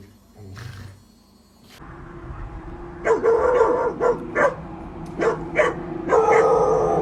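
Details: Australian Shepherd, a herding dog breed, barking: after a quieter opening, about seven short, sharp barks come in quick irregular bursts over a steady low hum.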